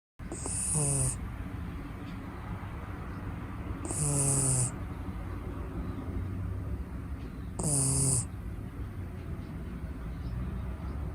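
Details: Mochiko, a six-month-old red female Shiba Inu puppy from Niigata, asleep and snoring: three soft nasal snores with a faint whistling edge, each about half a second long, spaced roughly every four seconds over a steady low room hum.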